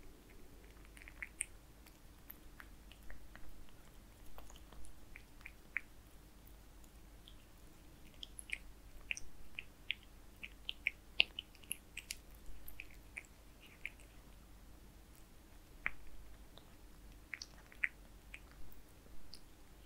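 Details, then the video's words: Kitten Zayka eating Purina Perfect Fit wet food indoors, with no talking. Wet, clicky chewing and lapping bursts come in quick irregular runs throughout, over a steady low hum in a small, quiet room. "Kitten Zayka eating wet food Purina Perfect fit CAT ASMR"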